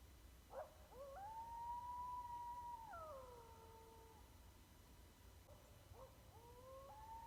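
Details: An East Texas coyote gives a long, wavering howl that rises sharply, holds, then breaks and slides downward.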